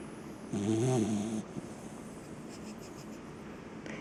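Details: Tired, sleeping seven-month-old English cocker spaniel giving one drawn-out, low, buzzy snore of about a second, followed by soft, quiet breathing.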